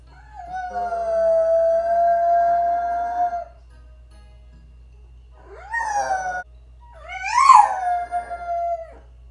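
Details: Female French Bulldog howling while alone at home during her owner's vet trip: one long, steady howl, then two shorter rising and falling wails after a pause, with a low electrical hum beneath.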